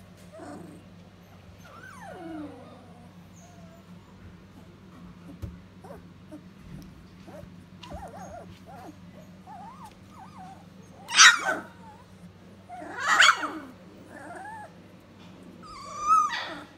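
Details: Standard Poodle puppies at three weeks old: thin wavering whimpers and whines early, then three sharp, loud squealing yelps near the end, spaced roughly two seconds apart over a low steady hum.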